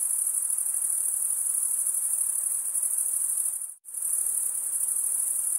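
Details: Crickets chirping by wing stridulation: a steady, high, rapidly pulsed trill that cuts out abruptly for a split second near the four-second mark, then resumes at full strength.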